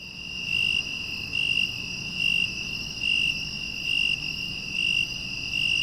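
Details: A broad-winged tree cricket, common in the lowlands of western Japan, sings a steady, high trill that swells louder roughly every second.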